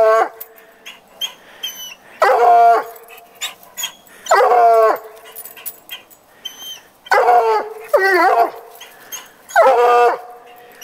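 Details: Petey the coonhound bays at a treed house cat belonging to the neighbour; long wavering harmonic howls, some doubled, repeat about every two to three seconds while birds chirp faintly.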